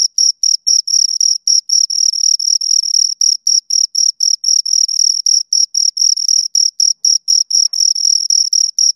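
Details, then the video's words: Two crickets chirping steadily: rapid, high-pitched pulsed chirps around five kilohertz with a fainter upper overtone, repeating several times per second in short bursts with brief gaps, on a silent background. "Two Crickets Chirp Sounds"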